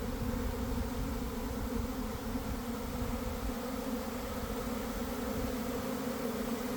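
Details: Swarming honey bees leaving a garden hive around one in the afternoon on a warm day after a week of cold, damp weather; a dense, steady droning hum with strong low bands, unbroken throughout.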